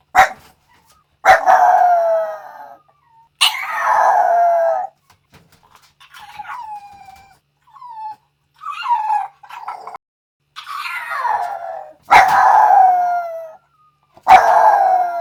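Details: A Yorkshire Terrier howling in uneven bouts: drawn-out, wavering cries that fall in pitch, broken by short sharp yips, about seven bursts over fifteen seconds with brief silent gaps between them.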